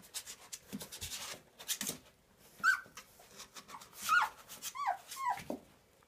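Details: Whining from 19-day-old Transylvanian Hound puppies: thin, high, downward-sliding whimpers, each brief. They repeat irregularly over about three seconds among soft shuffling, snuffling and low grunts, in a quiet indoor space.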